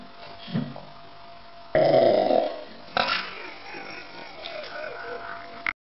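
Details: A 9-month-old male Shiba Inu gives a loud, gurgling burp after a meal, as he does after every meal, followed by a softer rumble over a faint steady hum.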